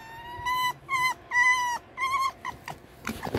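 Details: Male red fox kept indoors, said to be in a bad mood, giving loud whined calls: drawn-out tones with rich overtones, about five in a row, some bending, ending with shorter broken squeaks amid room noise.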